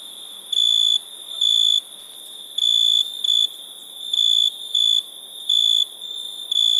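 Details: Night-time cricket chirping from India: bright, shrill tonal pulses lasting a fraction of a second to half a second, coming in uneven pairs and singles, with a faint, constant high-pitched insect drone underneath.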